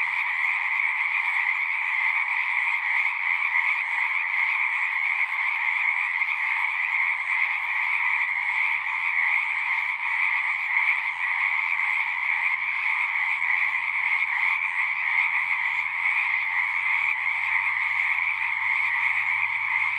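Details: Dense chorus of many singing frogs, a steady overlapping trilling wall of calls with two bright bands, one higher and one lower, continuous throughout; a faint low hum enters in the second half.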